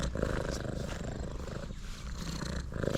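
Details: Tuxedo cat named Dali, very hungry after rain, greeting on a forest road and purring loudly while being offered food; a continuous low rumbling purr fills the clip, with outdoor background hiss.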